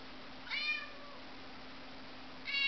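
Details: Pet cat indoors in a household with several cats, giving a single falling, whining meow with rich harmonics, then the start of another at the end, over steady background hum.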